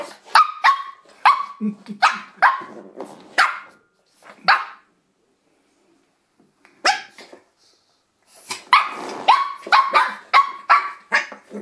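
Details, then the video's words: Shih Tzu puppy named Misty attacking a door stop indoors: high, sharp yappy barks in quick bursts, pausing around four to eight seconds before a fresh run of barks, with a person calling her name. "Shih Tzu puppy attacks Door Stop."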